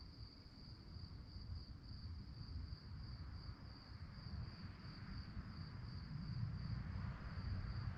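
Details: Chirping crickets at night: a fast, steady high trill of regular pulses throughout, with heavy low rumble growing slightly louder toward the end.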